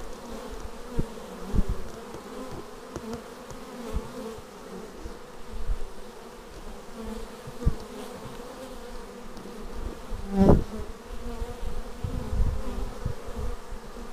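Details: Bees arriving at a beehive, filmed on a Xiaomi Yi action camera: a steady droning hum with layered low tones, and a sharp buzz from a single bee flying close past the microphone near the ten-second mark, with low rumbling thumps throughout.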